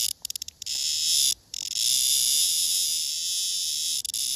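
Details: Male blackish cicada caught and held together with a female, calling while clinging to her: a few stuttering chirps, a brief pause, then a steady, loud, high rasping buzz that runs almost unbroken to the end.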